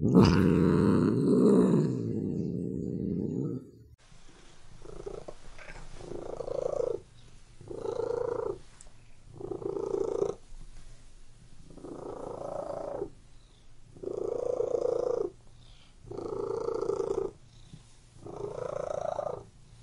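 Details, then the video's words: Domestic cat purring: after a loud, low rumbling burst in the first four seconds, a steady cycle of breathy purr phrases follows, each about a second long with short pauses, rising and falling in a slow rhythm. "WHEN CAT MEOWING AND PURRING"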